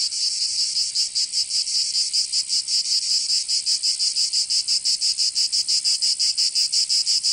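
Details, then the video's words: Chorus of cicadas on a summer day in Provence, southern France. A sharp, high-pitched rasping drone beats in fast, even throbs, starting slightly uneven and then settling, with nothing else audible. "Canto Cigarra 🦗 [ Escuchar les cigarras en verano 10 H]"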